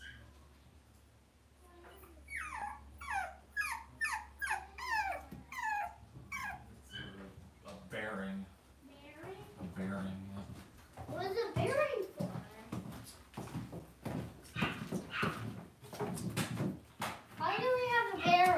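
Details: Cavalier King Charles Spaniel puppies in an indoor home puppy pen; a fast run of high, downward-sliding yips in the first seconds, then more whimpers mixed with a person speaking and handling noises.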